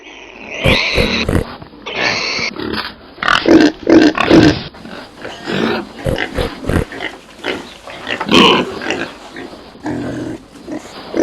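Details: Domestic pigs grunting and squealing in short bursts, some squeals harmonic and high, mixed with rough low grunts; noisy, crowded calling throughout.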